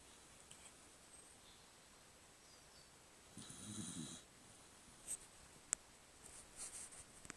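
A cocker spaniel gives a single low, rasping snore in a quiet room.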